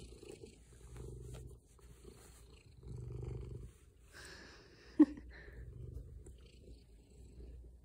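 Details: Cuddly male pet cat purring in its owner's lap; low rumbling purr comes in breath-paced bursts of about a second each, separated by quiet gaps, with one sharp click midway.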